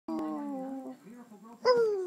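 A Shih Tzu gives a drawn-out, wavering howl, then a louder howl that slides downward.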